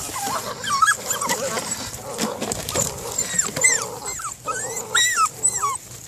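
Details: A 6-week-old male Belgian Malinois puppy of KNPV working lines during bite imprinting, giving short high whimpering yelps with bending, sliding pitch, several in quick bursts, over rustling and handling noise.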